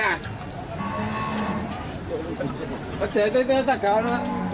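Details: Large Limousin cattle at the Pon animal market in Nganjuk, East Java: a low, steady moo in the first seconds, then several shorter tonal lowing calls, all over busy human chatter and passing vehicles.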